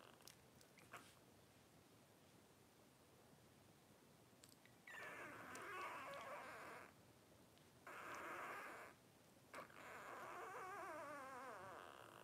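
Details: Twelve-day-old blenheim Cavalier King Charles Spaniel puppies from a litter of five, two girls and three boys. After a quiet start, three bursts of squeaky, wavering whimpers follow one another, with the final one the longest and most warbling.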